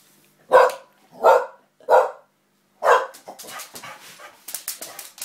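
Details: Springer spaniel playing with a young girl gives four loud, sharp barks about one second apart, followed by rapid clattering and scuffling noises.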